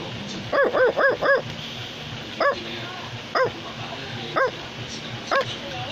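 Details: Male Australian Labradoodle barking: a rapid run of four clear woofs, then single barks spaced about a second apart, over a steady indoor hum.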